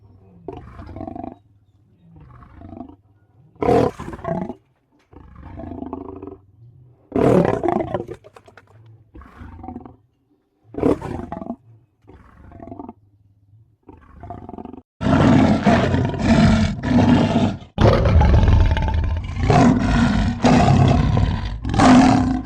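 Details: Pair of leopards growling at each other, short throaty growls repeated with brief silent gaps, then a run of loud, rough, continuous snarls in the final seconds.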